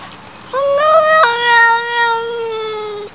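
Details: A cat gives one long meow, starting with a wavering rise, then settling into a steady, slightly falling tone held for about two seconds over a quiet background.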